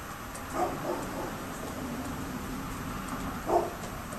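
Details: A neighbour's dog barking on October 27, 2011: a quick pair of muffled barks near the start, then one more bark about three seconds later, over steady background hiss.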